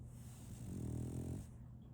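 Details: A female French Bulldog puppy snores while asleep, giving a single low, raspy, buzzing snore that builds and fades over about a second against a constant low background hum.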